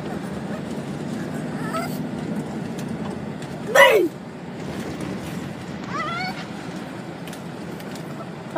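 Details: A dog makes a weird, high whining cry that sweeps sharply downward near the middle, with fainter rising squeaks before and after, over a steady background hum.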